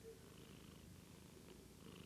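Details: A pet cat purring quietly indoors: a soft, low, steady rumble with an even pulsing texture, continuous throughout, with no other clear sounds.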